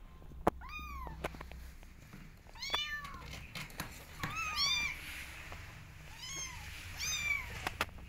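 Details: Kittens meowing to be let outside, eager to explore; high arched mewing cries, several overlapping, repeating every second or so with small clicks and taps between them.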